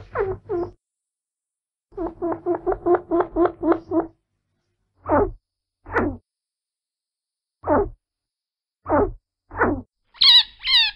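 A chinchilla gives quick squeaky chirps, a rapid chattering burst, then single falling squeaks.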